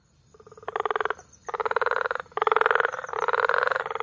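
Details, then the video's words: Frog chorus recorded in May at Bagamoyo, Tanzania: bursts of rapid, pulsed croaking with a nasal, harmonic ring, each lasting under a second, separated by short gaps and overlapping into a busy concert. "Frog Sounds"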